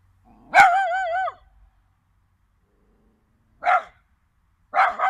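A Chinese Crested dog gives a long wavering, rooster-like crowing howl, then two short yelping barks.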